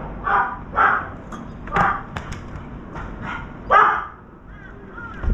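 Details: Domestic dog barking while a crow feeds by a veranda holding a trapped turtle dove: a run of five or six quick, uneven barks, some fainter, over steady low background noise.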